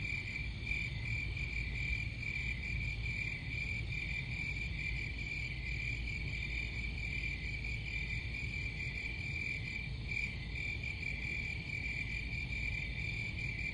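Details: A continuous shrill cricket trill holds one high pitch throughout, with thin higher overtones and a heavy bed of low, rumbling background noise.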